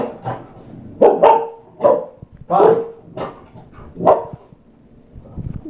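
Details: Chow Chow mother and daughter in play training, barking on command: a run of about six sharp barks, some doubled, spaced roughly half a second to a second apart, with a trainer speaking softly between them.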